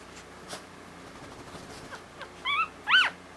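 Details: Female Havanese puppy, a newborn born on Valentine's Day, stays mostly quiet before two loud, high, arching squeals close together near the end, over faint indoor background hiss.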